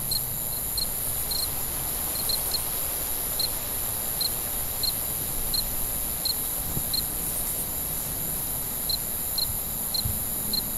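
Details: Cricket chirping at night: short, sharp pulses repeated roughly every half second in a steady, even rhythm over a constant high hiss and a low rumble.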